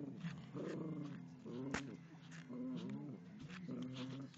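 A Yorkshire Terrier growls in low, rumbling bursts that rise and fall about once a second.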